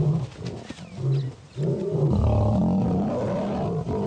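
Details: Wild lions in a combat setting: deep, rumbling roars and growls that run almost without pause, the sound thick and low, swelling louder after a brief dip near the middle.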